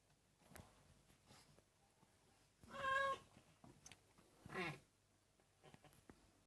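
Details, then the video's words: A senior domestic cat gives two short, wavering vocal calls about two seconds apart over a quiet indoor background with faint rustling. "Cat Senior singt und schnarcht"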